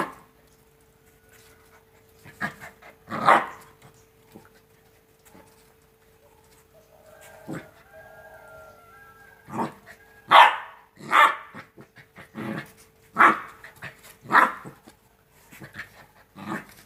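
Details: Playing Rottweiler puppies, two months old, give a loose series of short yappy barks and gruff growl bursts, irregular and spaced a second or so apart, with scuffling and a faint steady hum underneath.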